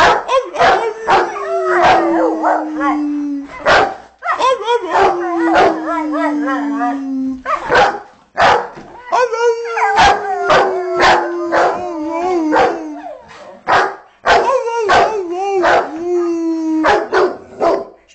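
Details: Shelby, a pet Rottweiler, howls away to music alongside Kane. Drawn-out, gently sliding howls repeat several times over loud rhythmic beats from the music playing nearby.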